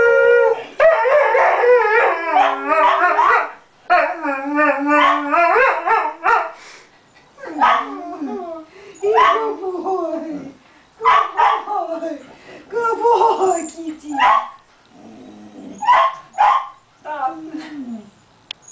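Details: A pet Dalmatian, known for singing happy birthday, gives a string of short, wavering howls and yodel-like phrases broken by pauses, alongside human voices.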